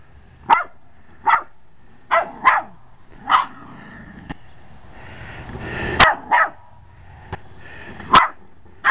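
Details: Jack Russell Terrier with short legs attacking a lawn mower, loud clipped barks coming in quick pairs and singles, mower drone rising in the background.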